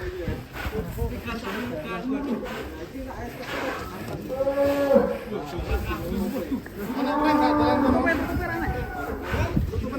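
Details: An agitated, raging cow breaking out of its pen gives two drawn-out, tonal moos, one in the middle and one longer near the end, over constant rumbling noise and people talking anxiously close by.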